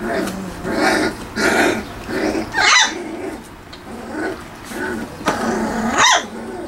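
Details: Three-week-old Wirehaired Pointing Griffon puppies from the 'M' litter at Bluestem Kennels playing in a garage whelping box; rough little growls and yips in repeated bursts about every half second, with a sharp squeal near the end and faint human voice.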